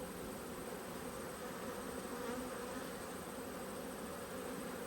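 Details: Cross honey bees during a hive inspection, 5 March 2022, two colonies upset by the disturbance: a continuous thick drone of countless wings, even and unbroken, with a faint higher whine riding over the low hum.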